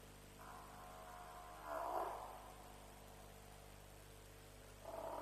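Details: Night at a lions' kill in Djuma, about 3 am on 07/03/07: African buffalo utter a long, wavering bawl rising into a louder burst, then another call begins at the end, over steady background hum, live-streamed.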